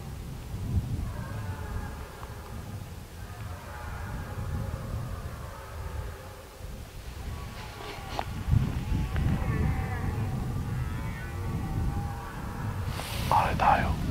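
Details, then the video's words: Six red deer stags roar non-stop at the peak of the rut on a hot day, about 120 m ahead across a grass field by a forest. They give long, drawn-out harmonic bellows rising from the distance. "There're 6 stags just ahead - They have not stopped roaring."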